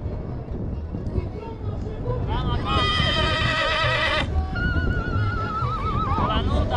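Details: Stallion of the Fitero line from Gura Humorului, Romania, giving a loud harmonic whinny lasting over a second, followed by a quavering, wavering tail, over heavy low rumbling noise and some voices.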